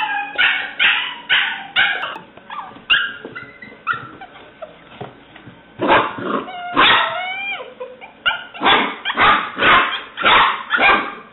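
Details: Alice, a seven-week-old black-and-white tri-colour female English Springer Spaniel puppy, recorded 17 May 2009, gives high-pitched yips and short barks in rapid bursts, about two per second, with brief quieter whimpering gaps between volleys.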